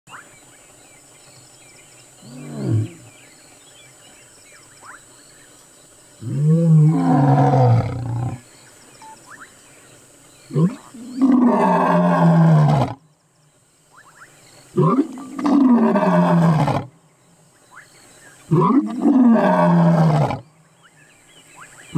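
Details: A lion (Panthera leo) roars on safari in South Africa, about 20 feet away, giving a series of deep, rasping roars, each lasting about two seconds.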